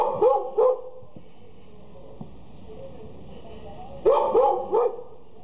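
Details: Border Collie puppies in Jalisco, Mexico: sharp high yapping barks in quick pairs, one pair at the start and a cluster of three near the end, with quiet background hum between them.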